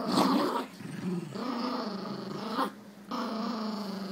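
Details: Jack Russell Jax growling with Rosco during a tug-of-war game: steady, rumbling, harmonic growls in three long bursts, each swelling then cut by short pauses, with a brief drop in the middle.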